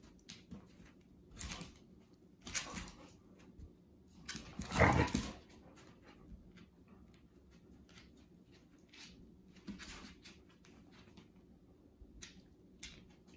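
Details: Two household dogs, Lucy and Shine, at play indoors, wrestling and chasing tails; scattered short scuffling sounds, then one strong, strained whine-like burst around five seconds, with softer scrapes and thumps following in a small room.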